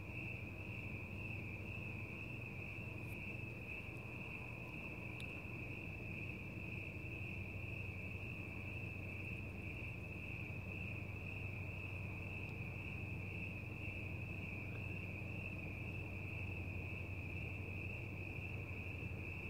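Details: Outdoors at night, crickets keep up a long, even, ringing trill at one high pitch, partly masked by strong low rumbling noise, with a few faint clicks early on.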